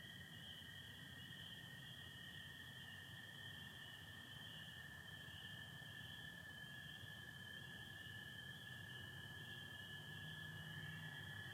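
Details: Michigan spring night, April 24, 2025, stars and partial overcast: a massed chorus of spring peepers forms an unbroken piercing whine, layered over the sustained lower trilling of American toads throughout.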